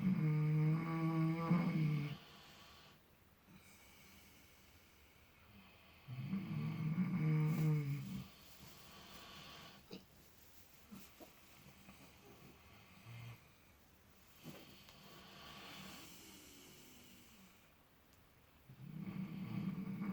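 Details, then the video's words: Two sleeping miniature potbellied pigs, Clutch and Penelope, dreaming in fresh straw and snoring: deep droning snores roughly every five to six seconds with quieter breathing between, plus faint rustling. "Dreaming Snoring Miniature Potbellied Pigs"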